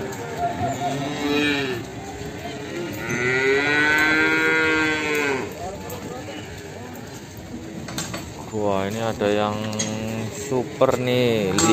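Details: A Limousin calf from Ambarketawang, Sleman moos several times in a row: a short moo, then a longer swelling one, then a cluster of quick wavering moos near the end. Faint clanks and voices sit in the background.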